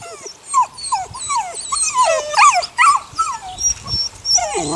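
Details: Six 8-week-old puppies of a neighbour's dog named Sunny; a busy run of high, downward-sliding whines and yips overlaps quickly, more than two per second, from several pups at once.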